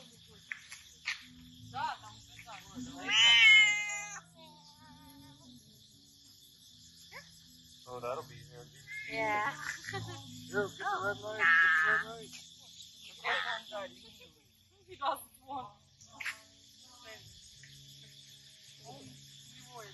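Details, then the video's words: Island cat in Koh Chang, Thailand, meowing while being played with and getting attention; a few wavering, rising-falling meows, the loudest near the start and middle, with a constant high insect-like whine and a woman speaking Thai. "Island Cat Meowing And Getting A Lot Of Attention"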